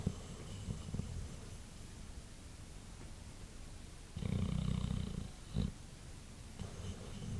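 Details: Male white Boxer asleep after a long day: quiet, low breathing, then a loud, rasping snore of about a second, followed by a short snort and a softer snore near the end.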